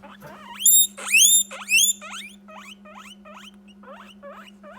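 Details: Guinea pig demanding a treat while still waiting for a snack: three loud rising whistled squeals, then a run of quicker, softer rising squeaks repeated about twice a second, over a steady low electrical hum.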